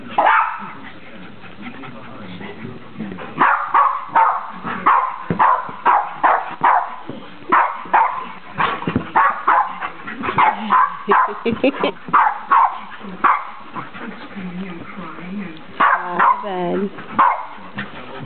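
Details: Three puppies playing together, one described as yelling; rapid bursts of high yapping barks, many per second at times, with growls and whiny squeals near the end.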